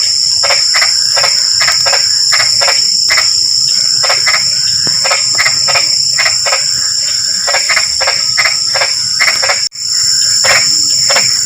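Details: Frogs in light drizzle: dense, quick series of short raspy croaks, nearly three per second, uneven in spacing and from more than one frog, under a constant high insect drone, with one brief dropout near the end.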